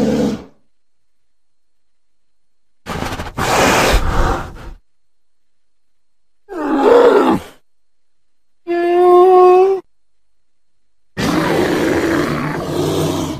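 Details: Wild American black bear growls and grunts, a sound-effect compilation: separate bursts of rough, low-to-mid growling roughly every two to three seconds, one burst carrying a tonal, moaning groan, with silence between them.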